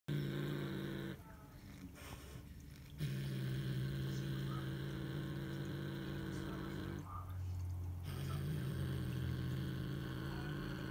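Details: A female Siamese cat growls in a low, steady rumble, broken by brief pauses for breath, after catching a bird.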